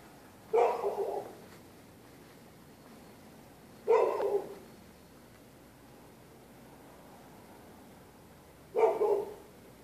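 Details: Neighbours' dogs barking at night at people using the public sidewalk; three sharp, loud single barks spaced irregularly, roughly three to five seconds apart, over a quiet background hum.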